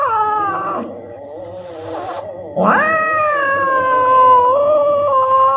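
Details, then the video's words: Cat yowling in long drawn-out wavering cries, broken by a brief noisy hiss-like burst, then a sharply rising wail held steady for several seconds. "Cat sounds to scare mice"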